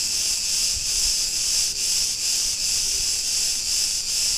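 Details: Cicadas of Crete in a street of Ierapetra, Greece, droning in an unbroken high-pitched buzzing hiss that swells and dips roughly every half second, with no other sounds standing out.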